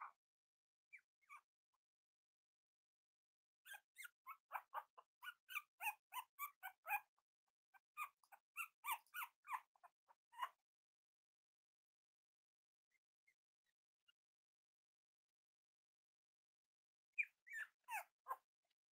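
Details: Cavalier King Charles Spaniel puppies indoors, playing and exploring together: bursts of quick, thin high yips and squeaks, loosely repeated for several seconds, a quiet pause, then another short run of yips.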